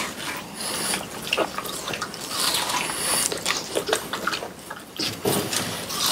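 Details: Three pet French Bulldogs, Pang, Kun and Ppo, munch watermelon as summer ends, close-miked for ASMR: dense wet crackles and smacking bites repeat several times a second, juicy and bright, in a small room.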